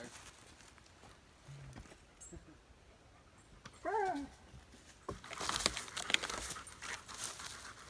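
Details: Odin the dog meets another dog on a fall 2017 backpack camping trip at Devils Den, Arkansas; a single rising-then-falling whimpering whine sounds near four seconds, followed by rustling and crackling noises.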